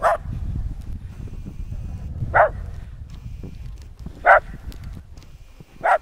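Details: In the snow, Nix the West Highland White Terrier lets out single clipped barks about every two seconds, four in all, over a steady low background murmur.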